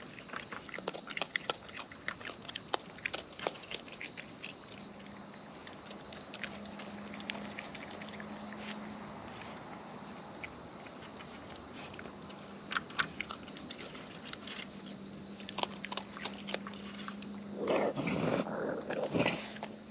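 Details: Raccoons in the wild feeding at close range, with a steady run of crisp clicking chews and smacks over a low steady hum, growing busier and louder in the final seconds.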